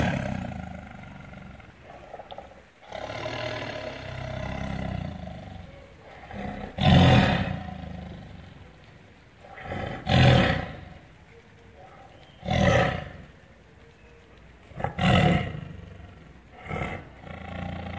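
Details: Angry caged tiger in captivity giving a series of deep, broadband roars and growls, bursts roughly every two to three seconds after a low rumbling opening, with faint human voices in the background.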